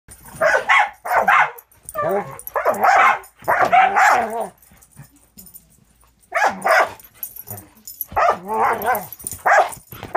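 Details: Angel, a 6-month-old Border Collie mix fostered with Wisconsin Border Collie Rescue, playing with another dog, Cisco: bursts of rough, noisy barks and growls in clusters, then a near-silent pause before more harsh barking resumes.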